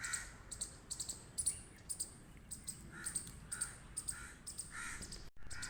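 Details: Loud chirping squirrel giving quick harsh chirps roughly every half second, each a brief noisy burst with a clicky edge. A low rumble of background noise sits underneath.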